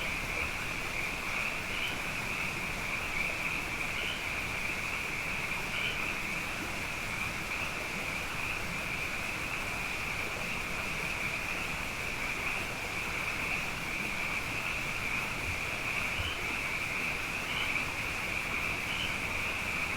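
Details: Frogs abundant after two wet years in a row, calling at night as a dense chorus: a steady, high, shimmering trill band with faint pulses every second or so, over a low rumbling background.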